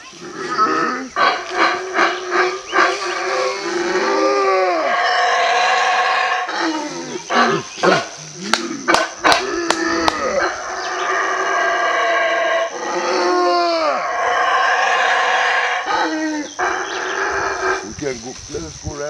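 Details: A male howler monkey in Belize gives deep, guttural roaring howls in long rolling bouts, responding to a guide imitating its howl.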